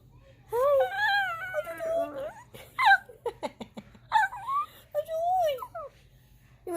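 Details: Pet dog whining to be let up on the couch, a high wavering cry that rises and falls, mixed with a person's voice saying "you want to be up here" in a small room.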